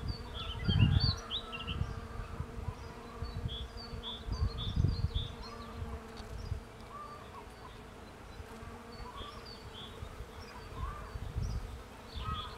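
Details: Steady droning buzz of bees collecting pollen on a cherry tree, with intermittent wind rumbles and scattered high bird chirps and twitters over the hum.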